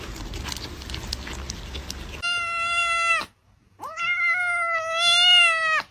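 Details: Domestic cat giving two drawn-out, clear meows, the first lasting about a second, a short pause, then a longer, steady meow of about two seconds; a noisy stretch of background sound precedes them.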